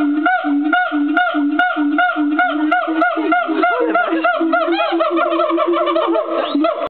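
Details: An agile gibbon at Fota Wildlife Park sings a series of clear, hooting notes that rise and fall in quick succession.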